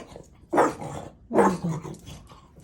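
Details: Maui, a French Bulldog, indoors in a small room, barking at something unseen as if at a ghost: two short, deep, gruff woofs about a second apart, with a quiet room between them.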